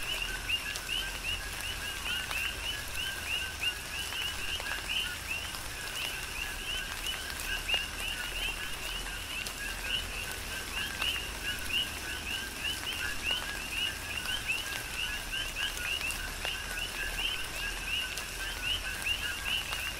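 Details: Coqui frogs call in a dense chorus during a tropical rain shower on the Big Island of Hawaii: many overlapping two-note calls, a lower tone and then a rising chirp, over steady rain patter and scattered drops.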